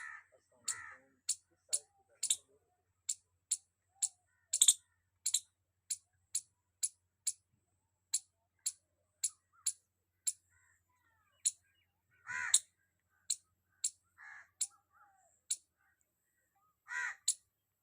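A squirrel gives sharp, high chip notes in a steady rapid series, with a few harsher, lower calls.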